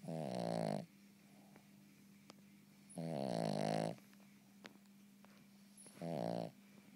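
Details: Cavalier King Charles Spaniel asleep and snoring, three rough rattling breaths roughly every three seconds, each buzzing for under a second, with a faint constant hum and occasional small clicks between them.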